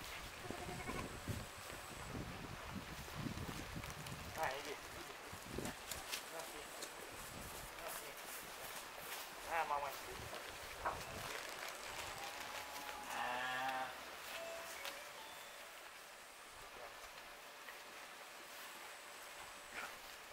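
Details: Six-month-old bottle-fed Romanov lamb giving a few short, wavering, harmonic bleats spaced several seconds apart, with a person talking nearby and rustling handling noises throughout.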